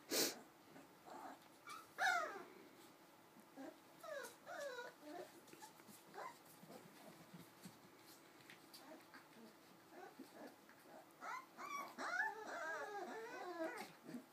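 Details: Cardigan Welsh Corgi puppies at four weeks old give short, high, wavering whimpers and squeaks in scattered bursts, thickest near the end, with a steady low background hum.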